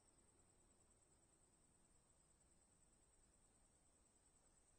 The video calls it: 동물 소리, Animal Sound, Cicadas Buzzing, 3분 38초